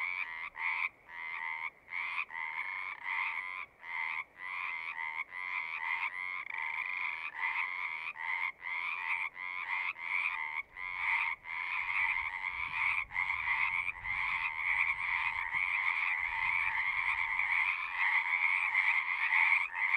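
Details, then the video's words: A frog chorus offered as a relaxing nature sound: rapid buzzy trills repeated with brief breaks in between, the gaps shrinking until the calling merges into a near-continuous, rich drone. "One hour of singing frogs."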